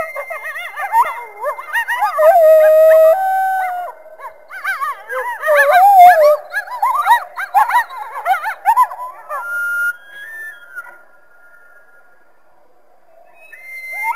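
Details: Coyotes in a frantic group chorus of warbling yips, quavers and wails, dense overlapping voices that thin out to a few long howls and a brief quiet stretch.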